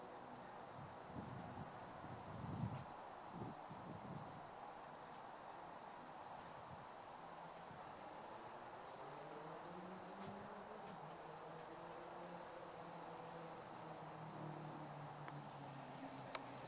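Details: German wasp visiting a garden bird bath on a hot summer day to drink water; a low droning buzz with wavering, rising and falling tones swells through the second half over a steady background hiss and a few faint clicks.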